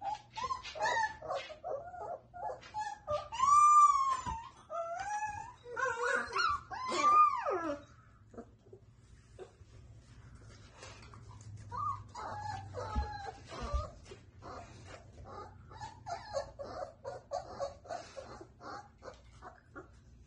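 Borzoi puppies howl in thin, rising and falling wails, broken by whimpers and yips.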